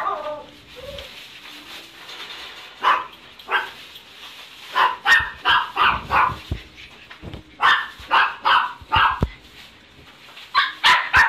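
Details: Male Shiba Inu puppy with a black coat, born 18 March 2017, kept at a pet shop; a whine at first, then bursts of high, sharp yaps in quick runs of two to four.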